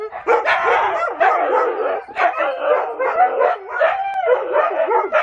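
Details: Loud watch dogs calling together in the morning: overlapping wavering howls and yips that rise and fall, dense and continuous, with brief pauses between bursts.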